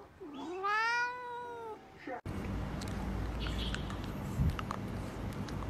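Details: Domestic cat giving a loud, drawn-out yelling meow with rich harmonics, rising then falling over about two seconds, followed by background music.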